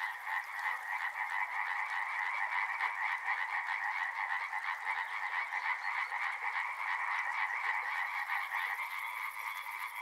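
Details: Loud mass of frogs croaking at a river, quick rattling pulses tumbling over one another without pause, with a faint high whine entering near the end.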